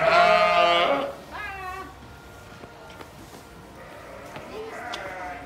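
A lamb gives a loud, quavering baa, followed by softer, shorter bleats.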